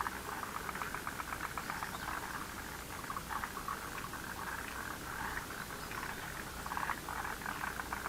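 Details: Dense chorus of frogs in a lotus pond, many overlapping rattling pulse trains sounding continuously with no pause, forming a constant rolling croak.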